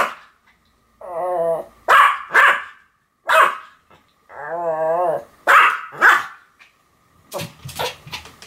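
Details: Pomeranians Sam and Marin in duet barking, a wavering drawn-out growl-whine alternating with sharp high barks, the pattern repeating twice before a final cluster of short yaps.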